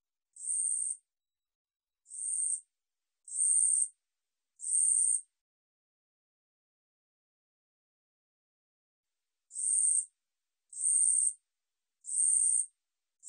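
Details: An Ussuri katydid sings short, high buzzy bursts, each about half a second, repeated in a steady series; 2020 recording.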